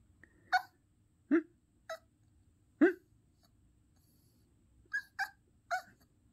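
A Yorkshire Terrier gives short, high yips and whiny vocalizations in irregular bursts.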